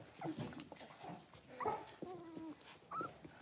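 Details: Soft, thin whines come from six-week-old blenheim Cavalier King Charles Spaniel puppies born on New Year's, a litter of five in an indoor pen. The whines are held and slightly wavering, over a hushed room.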